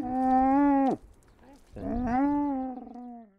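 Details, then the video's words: Two sustained, nasal camel bellows, the first ending in a downward drop, the second rising then slowly sliding lower, with a brief gap of quiet between them. "Camel talk"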